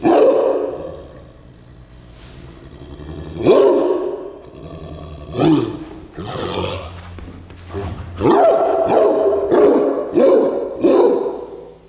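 A Cairn Terrier barks in sharp, gruff bursts, with growling between them.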